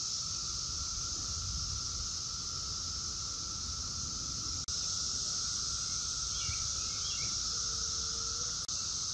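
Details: Brood X 17-year periodical cicadas in daytime chorus near Chantilly, Virginia, in the Washington, D.C. area, 2021: an unbroken, steady droning hum with a high hiss layered above, a few brief bird chirps breaking through late on.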